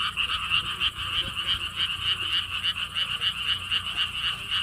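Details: Frogs at the Gwangokji lotus ponds, Siheung, South Korea, in a clear, uninterrupted chorus: quick throbbing croaks in a high and a middle band, about three to four pulses per second, with little other noise.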